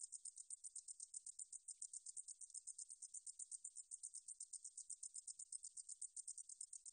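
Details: Korean 등줄어리쌕쌔기 katydid, a 2020 National Institute of Biological Resources recording: an even train of shrill ticking buzzes, roughly six per second, continuing throughout against silence.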